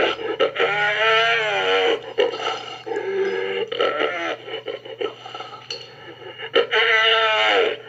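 A sea lion gives rough, drawn-out bellowing calls in bursts, with brief pauses between them.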